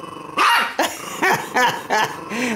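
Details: Two-year-old, four-pound Chihuahua guarding a T-bone steak bone and intimidating a fawn Doberman during play: harsh snarling growls broken by about five sharp yapping barks, some falling in pitch, with a man talking nearby.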